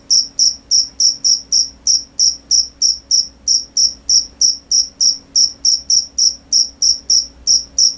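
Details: Crickets chirping at night, crisp shrill pulses paired and repeated roughly three times per second, clean and dominant above a soft low drone.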